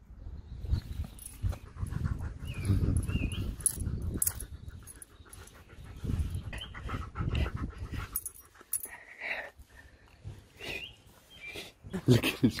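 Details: Siberian Husky being groomed with a grooming mitt indoors, making a few short high whiny vocal squeaks amid rustling and low handling noise, with a woman talking over it.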